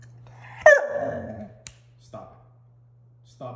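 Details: Six-month-old female German Shorthaired Pointer puppy indoors, talking back after being told no while wanting to go outside: one sharp yelping whine with a quick pitch drop, then short softer vocal bursts, under a steady low hum.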